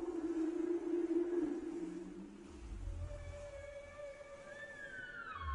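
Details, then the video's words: Whale calls: a sustained low hum gives way to faint high whistles that slide downward toward the end, over a hissing background. "Whale voice صوت الحوت"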